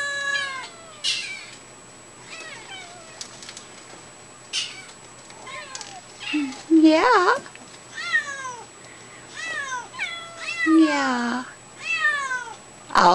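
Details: A group of kittens indoors calling for their mother: dense, overlapping high-pitched meows falling in pitch, repeated throughout, with a woman speaking to them at intervals about leaving so the mother can come in.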